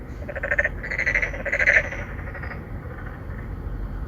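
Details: Narrow-mouthed frogs, three or four calling males courting females at a pond inside an apartment complex in Songdo, Incheon, Korea, recorded on a phone: a few quick pulsed croaking notes in the first two seconds, then steady background hum.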